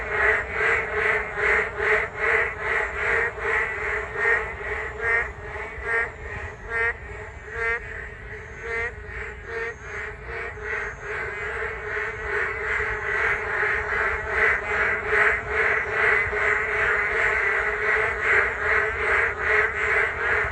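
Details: Many frogs in full chorus beside a Geum River walking path in the rain, rhythmic overlapping croaks rising and falling in waves, briefly thinning near the middle, then swelling louder toward the end.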